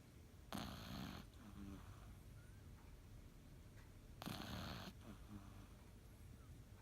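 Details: A napping Cavalier King Charles Spaniel snores. Two harsh, noisy breaths arrive nearly four seconds apart, with a quiet wheezy rasp after each and a low hum underneath.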